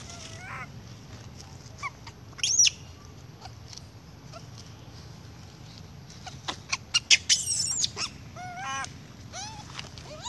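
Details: Baby monkey crying loudly for milk from its mother, a spoiled youngster with a noisy habit; high, thin squeals and shrill cries in scattered bursts, some rising and wavering, with louder clustered squeals midway and a Vietnamese remark afterward.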